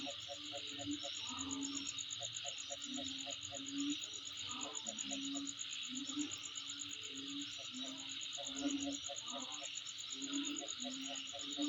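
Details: Home surroundings with a steady shrill insect chorus and a rapid pulsing trill, accompanied by brief trains of quick low clicking pulses and recurring low mellow notes.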